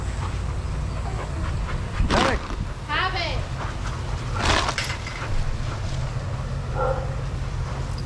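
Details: Adoptable shelter dogs playing and running together at daycare; two sharp, explosive barks stand out about two seconds apart, with a wavering, whiny yelp between them over a steady low rumble and scattered playful yips.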